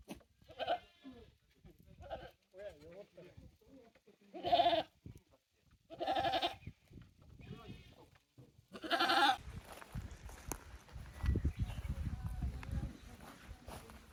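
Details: Goats at a handmade farm in Japan on 9 May 2024, at a new playground with balance beam and narrow slope; short and long quavering bleats from several animals, ending in a loud cry followed by rumbling wind-like noise.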